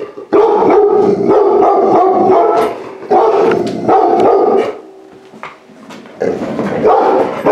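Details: Large-breed puppy saved from a high-kill shelter, entering a home for the first time; loud, sustained wavering howl-like whines in three long bouts separated by brief quieter gaps.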